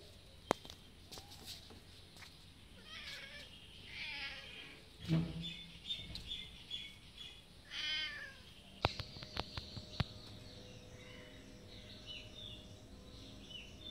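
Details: Hungry cats, three of them outside in the afternoon waiting for food, give several harmonic meows in the middle of the clip, rising and falling, over a steady hiss of insects and scattered clicks and knocks.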